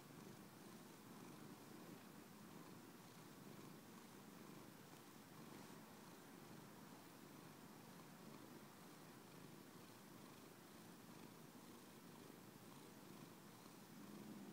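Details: A steady, soft purr from Simon the cat, a low rumbling drone that keeps an even rhythmic pulse from start to finish in a quiet setting.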